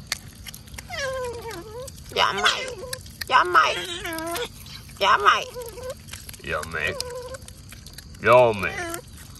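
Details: Otters at mealtime as mullets return to their feeding, giving a series of loud, harmonic squealing whines, each bending downward, in bursts about a second apart over faint background hiss and clicks.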